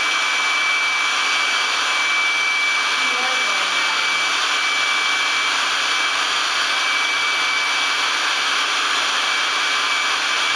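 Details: A loud, steady air-pump roar fills the whole recording as an air mattress inflates, with a faint whine and brief murmured speech but no dog sound.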